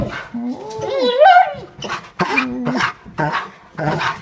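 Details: Gaston, a Bernese Mountain Dog, shows his love as his owners come in: wavering whines and a howl that climbs and falls in pitch, then short yelping bursts.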